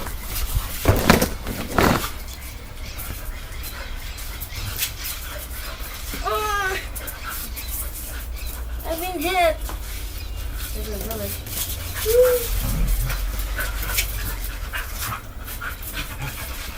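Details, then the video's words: Pet dog named Coco, said to be acting like a cat, gives a few short arched whining cries spaced a few seconds apart, mid-clip, while people talk and laugh nearby, with thumps and handling noise at the start. "coco is acting like a cat .why?"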